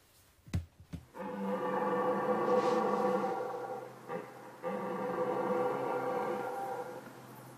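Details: In a Jura forest in France, at night during the mid-September to mid-October rut, red deer stags give long, deep, cavernous bellows to signal their presence and gather hinds; a younger stag on the left calls less deeply.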